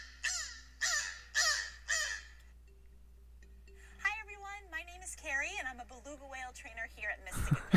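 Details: Beluga whale calls played back as a quiz sound: a burst of harsh, crow-like rasping caws at the start, then a run of rising and falling whistled tones with warbling harmonics, ending in a loud noisy burst.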